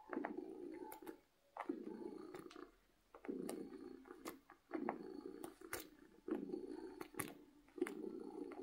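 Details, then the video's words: Contented house cat purring loudly from happiness, steady rumbling phrases about a second long repeated with brief gaps, light clicks scattered through. "Cat Purring from Happiness"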